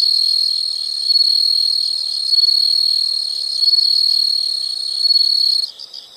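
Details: Insects calling: an almost unbroken, loud, high-pitched trill pulsing gently in strength every second or so, stopping abruptly before faint chirps at the close.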